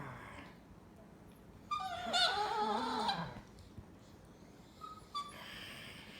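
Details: A pet Chihuahua reacting to someone snorting at it with a single wavering, whiny moan lasting about one and a half seconds, then near silence broken by a couple of faint squeaks.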